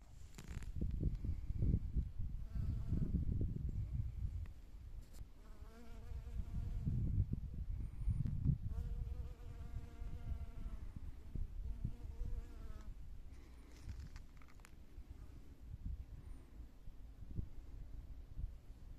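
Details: Honey bees working among spring flowers in spring, their droning wing buzz swelling and fading as they pass close, several bouts of steady humming with slight pitch wobble, over a low rumbling wind-like background.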